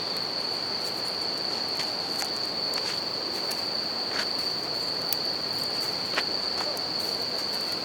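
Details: By a crackling campfire next to a river, a bell cricket gives an unbroken high ringing trill while the flowing water hisses steadily and the fire pops repeatedly.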